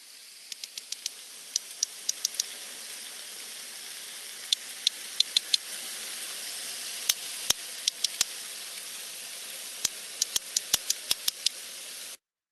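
Two sperm whales exchange codas, crisp broadband clicks grouped into short rhythmic patterns that answer one another back and forth. A constant hiss runs underneath the clicking.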